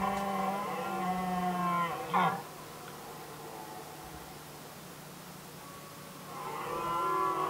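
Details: Red deer stags rivalling over hinds in the Swedish rut, Västmanland, 2010: a deep, sustained roar ending in a brief loud grunt, a long quiet pause, then another bellow beginning.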